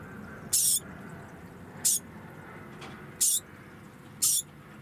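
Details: A pet degu, put into a small room while its cage is cleaned, complains with four very high, hissy squeaks. Each squeak is short, and they come roughly once a second against a quiet room background.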